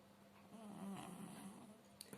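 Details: Pushok, a sleeping domestic cat that cannot purr, snoring indoors: one soft, low, rasping breath swelling and fading over about a second, followed by two faint clicks in a quiet small room.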